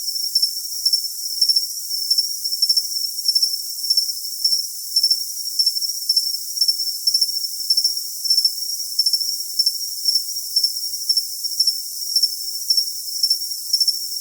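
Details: High, ringing cricket trill held constant, punctuated by paired bright chirps at a steady pace near two per second; the recording is otherwise clean and free of low-pitched noise.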